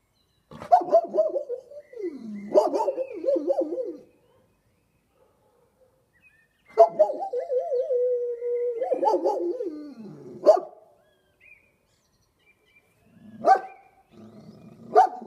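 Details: A Kuvasz dog "talking": long, wavering, moaning howl-like vocalizations that slide up and down, in two drawn-out phrases of about three seconds each, followed by short yips and grumbles in an otherwise quiet room.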